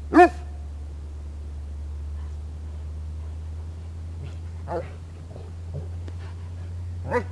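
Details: Pet dog wrestling and playing with its owner, giving three short, sharp, harmonic barks spaced several seconds apart, at the start, in the middle and at the end, over a steady low hum.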